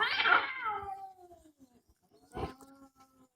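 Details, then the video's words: Domestic cat giving a loud, drawn-out meow that starts high and slides downward over about a second and a half, then a shorter, quieter second meow after a brief pause, indoors. "Funny cats talking and yelling like humans"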